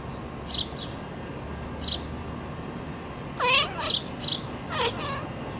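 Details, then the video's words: Siamese cat Jessica chirping at birds as she tries to sleep: two quick rippling chirp-trills in mid-clip, each a short run of rising notes, while sharp high bird chirps sound at intervals throughout. "Siamese cat chirping and yawning"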